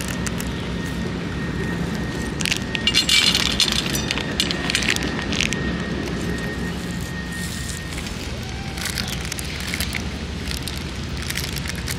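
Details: Steady rain-like hiss with bursts of crackling and a faint constant high tone running through the first eight seconds.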